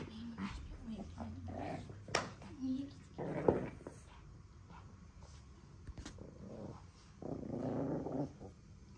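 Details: A Pekingese puppy growls in low, rumbling bursts while tussling over its beloved monkey doll, guarding it so no one touches it during play, with human voices nearby.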